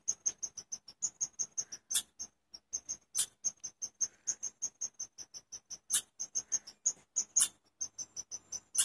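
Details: Chipmunk chirping: a steady series of sharp, high chips, about four to five each second, with a few louder, harsher notes breaking in, over a quiet background.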